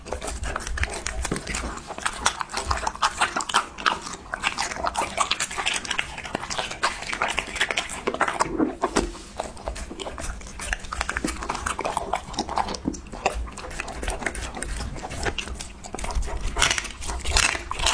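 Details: A Husky eating a raw mix of meat parts: dense, irregular crunching and wet chewing with repeated sharp bites throughout, some snuffling, and a brief voice urging the dog on near the start.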